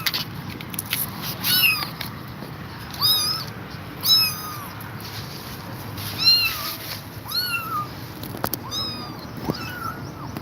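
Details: Tired mother cat that will not leave her kittens: a series of thin, high, arching meows, some overlapping, spaced every second or two, with steady hiss and faint clicks in the background.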